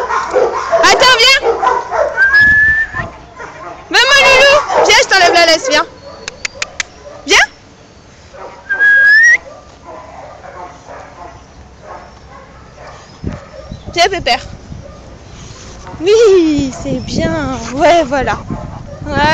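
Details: Boxer dog at play, excited about a ball: loud bursts of wavering, warbling whines and yowls separated by quieter gaps, with a few sharp yips and a woman calling it in French.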